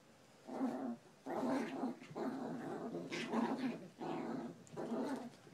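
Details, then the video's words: Chihuahua playing tug of war, growling in steady rough bursts about one per second, each a low buzzy rumble with brief pauses between. "#chihuahua tug of war"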